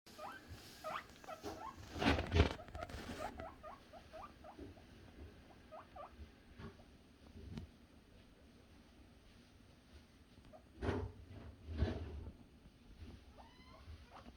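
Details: Male guinea pigs (boars) give rapid, high, squeaky calls, many rising in pitch, while happily anticipating food.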